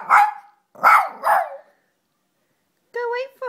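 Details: Female shoodle puppy barking in excitement as she is urged to go wait for mummy at the door: three sharp, high barks in quick succession, followed by a woman's voice speaking.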